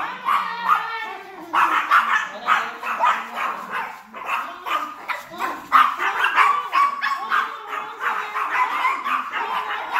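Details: Chihuahua angrily confronting a larger dog named Hansel, pouring out dense, sharp, high-pitched yaps that overlap in a frantic burst, briefly quieter near the middle before rushing on; faint lower murmuring beneath.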